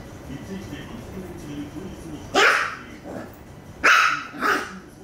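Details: Puppy fighting a toy that has become stuck, giving a few sharp barks, a pair close together then another just after, over a quiet background of low rustling and faint voices.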